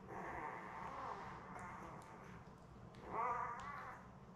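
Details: Newborn Labrador Retriever puppies, litter of seven born May 24, 2021, with their mother Belle on an indoor puppy cam; a drawn-out whine, a pause, then a louder wavering squeal near the end over steady low hum.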